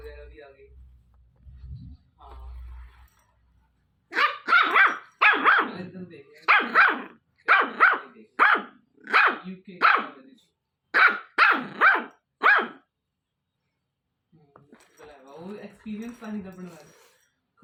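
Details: A 1.5-month-old Pomeranian puppy gives a run of high, sharp yaps in quick succession.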